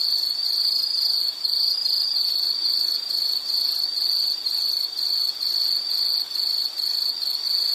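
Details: Rapid pulses of shrill, high insect chirping repeat roughly twice a second, with short dips in loudness between bursts and faint higher buzzing overhead.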